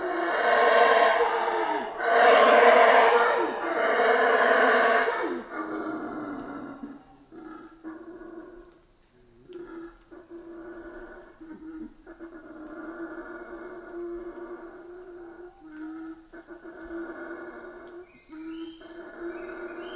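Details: Central American rainforest howler monkeys: three powerful, harsh roaring howls pulse one after another at the start, then fade into a softer, steady, buzzing drone with scattered quieter calls.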